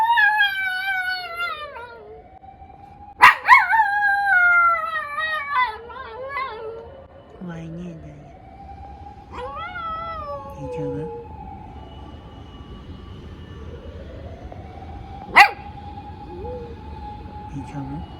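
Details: Female toy poodle named Daiya howling in reaction to a siren: several drawn-out, wavering howls that slide downward in pitch, with bursts of short yips. A siren's tone rises and falls repeatedly behind them, with sharp clicks and a voice.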